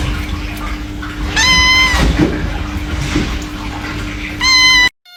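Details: Pair of brief, flat, high kitten mews about three seconds apart, set against loud rustling and a constant low background tone.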